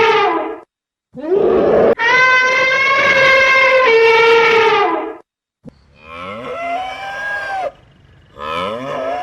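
A cow gives several loud, drawn-out moos, one held for about three seconds, with rich nasal tones and slight rises and falls in pitch.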